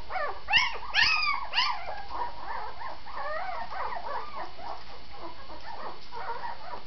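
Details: Vizsla: three loud, sliding howl-like yelps open the recording, then softer overlapping whines and whimpers continue steadily to the end.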